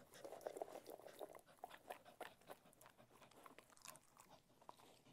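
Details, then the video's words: Cocker Spaniel eating food in a small room, close ASMR recording: rapid crunching bites about three per second, loud and crisp, with softer wet chewing between them. "Cocker Spaniel Eating Food - Relaxing Dog ASMR Sounds"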